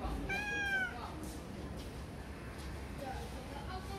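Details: Calico cat: one bright, drawn-out meow that rises and then falls, in the first second. Quiet low hum and faint faint sounds follow.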